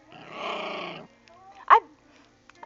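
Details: Female puppy guarding her new dentastick and refusing to let it be taken from her mouth: a rough, rumbling growl held for about a second, then brief human voice and a short sharp noise.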